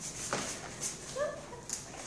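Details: A corgi lets out a brief high whimper, a short tonal whine with a faint overtone above it. Soft hiss fills the background.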